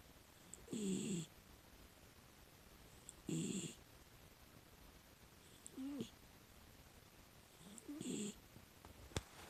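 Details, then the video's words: Six-year-old female rescue miniature dachshund snoring while asleep: four rasping, breathy snores roughly every two and a half seconds, each about half a second long with a low rumble and hissy upper noise, quiet pauses between. "寝息かイビキかわからないミニチュアダックスフンド Miniature dachshund I don't know if I'm sleeping or snoring"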